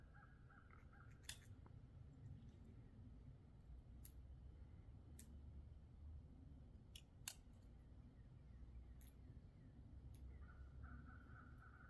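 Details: A squirrel scrapes down a very thick black walnut shell, giving scattered sharp cracks and scrapes over a low background rumble.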